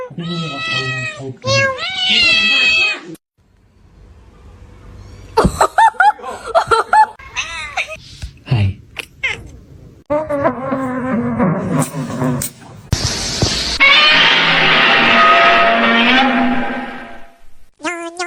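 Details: Domestic cat meowing in a compilation of funny cat moments; several harmonic, wavering meows in the opening seconds, then scattered clicks and bumps, more drawn-out cries later, mixed with human speech and room noise.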